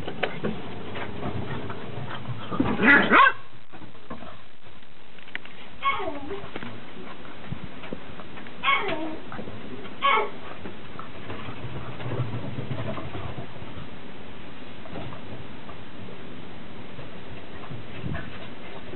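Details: Beagle puppies, 69 days old, on their first run out on a deck. Short, sharp, harmonic yelps burst out near three seconds, with fainter ones around nine to ten seconds, over steady pattering and low human voices.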